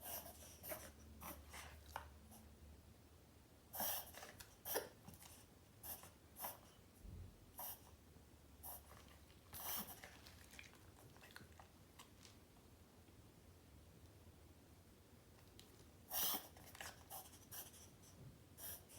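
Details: A 7 lb Morkie, a Maltese mix, indoors during one of its reverse sneezing attacks: clusters of harsh, rapid snorting breaths near four, ten and sixteen seconds, separated by quiet room noise.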